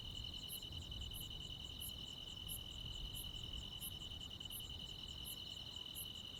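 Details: Crickets and other insects on a midsummer night in the Korean countryside: a steady high trilling band runs throughout, with sharp very high pulses repeating about every two-thirds of a second and a low rumble beneath.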